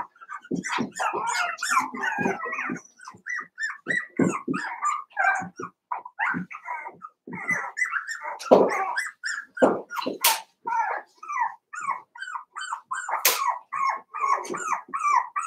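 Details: A litter of five-week-old Cavalier King Charles Spaniel puppies in an indoor pen keeps up a busy chorus of short yips, whimpers and small play growls, bursts following one another rapidly with brief gaps.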